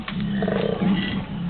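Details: Koalas in Brisbane, Australia, growling: a deep, rasping, snoring growl that pulses unevenly.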